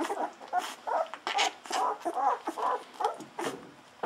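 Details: Hungry Golden Retriever puppies at day 14 taking milk from a bottle, giving quick repeated squeaky whines about two per second, interspersed with sucking and smacking sounds.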